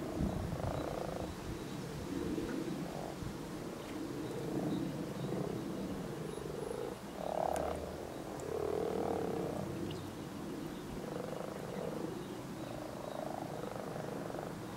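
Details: Springtime chorus of European common frogs (Rana temporaria) at spawn: overlapping low, purring croaks run almost continuously, swelling and fading in soft pulses, with some faint clicks and a steady low rumble underneath.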